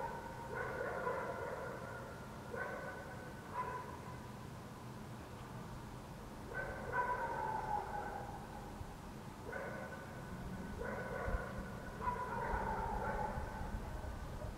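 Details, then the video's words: Far-off dogs barking in the city at night, Helsinki, Finland, June 2014; barks come in loose pairs and triplets every couple of seconds, a few stretched into falling yelps, against a steady urban drone. "dogs barking in the city"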